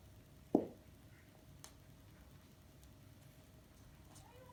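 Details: Exotic Shorthair kitten named Donatella, two months old, playing indoors, gives a single brief mid-pitched meow near the start, followed by quiet room background with a few faint taps.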